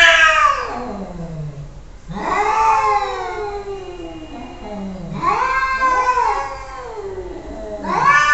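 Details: Domestic cats arguing, drawn-out wavering yowls that rise and then slide downward, about four long cries with overlapping voices trading back and forth in a small room.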